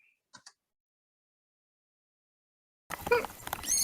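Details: A manatee in Sarasota Bay, Florida, gives high, thin squeaks, surprisingly small sounds for so large an animal.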